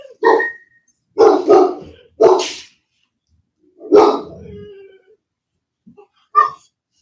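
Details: Cane Corso (Italian Mastiff) kept at a breeder west of Nashville, Tennessee, barking loudly indoors: deep, harsh barks, single and in quick pairs, with a drawn-out growling bark near the middle and a last short bark after a pause.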